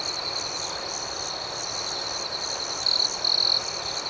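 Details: Nighttime cricket chorus. A constant shrill trill with a softly pulsing upper tone carries through, then two short louder buzzy trills stand out near the end.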